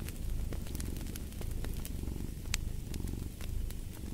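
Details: Short burst of deep cat purring, a dense buzzing rumble, with fireplace crackles snapping sharply over it.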